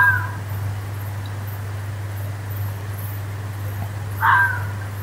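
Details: In the woods, the tail of one fox scream fades at the start, followed about four seconds later by a second harsh, hoarse scream, all over a continuous low hum.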